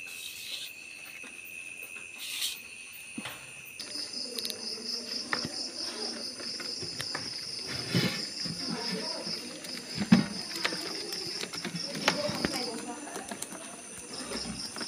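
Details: Crickets during hand-catching: after some knocks and rustling, a high, rapid pulsed trill starts and continues for about nine seconds, pauses, then resumes briefly, over handling noise and scattered thumps.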